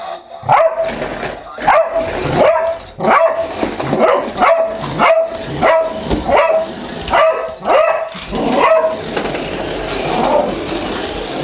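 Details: Pet dog barking at a remote-controlled toy car driven toward it, acting fierce though it runs away when the car revs; a steady series of about nine sharp barks roughly one second apart, then quieter whining, over background music.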